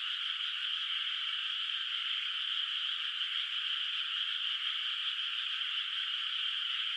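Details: Frogs calling at night in a moonlit countryside rice field with water not yet planted, their distant voices merging into a steady, dense, shimmering chorus with no breaks and no other clear sounds.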